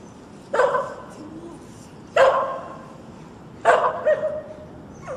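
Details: Dog barking, compiled for sounds to make a pet dog bark: three loud, broad barks spaced about 1.5 seconds apart, each with a short trailing tail, over a faint steady background hiss.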